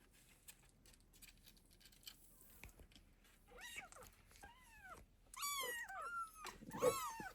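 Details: Domestic cat scene of a mother protecting and feeding her kittens; after a few seconds of low rustling and handling noise, a run of short arched meows begins, growing louder and more crowded toward the end.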